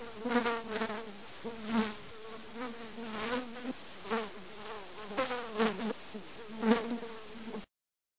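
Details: Housefly buzzing almost without pause, a low droning hum that wavers in pitch and swells louder and softer every second or so as the insect moves.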